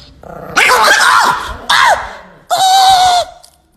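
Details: Angry pet Chihuahua giving three loud, rasping, snarling barks in close succession, each lasting under a second, the last one drawn out and tonal. The barks come while its owner speaks to it.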